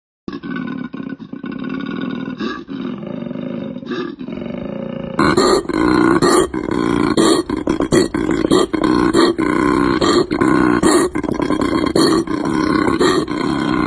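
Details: Koala giving a deep, rasping bellow: a rapid train of snoring, grunting pulses, softer for the first five seconds, then much louder and harsher, with rhythmic rough inhaled and exhaled rasps running to the end.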